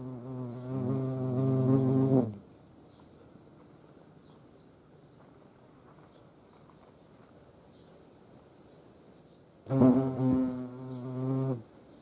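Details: Two separate passes of European hornets at a feeding site in Dohr, Eifel, Germany: a strong low-pitched droning buzz for two seconds, a long near-silent gap, then a second buzzing burst.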